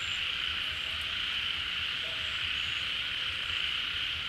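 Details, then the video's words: At a pond where rainy-season water has returned, massed frogs call in unison; a constant high buzzing drone dominates, with a couple of faint higher whistles above it. "เสียงฝูงกบร้อง Relaxing Sounds of Frogs, カエルの音, 青蛙的聲音"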